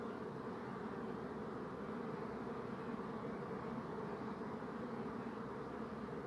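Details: Bees going about their business, their wings making a smooth, steady, low buzzing drone that holds level throughout.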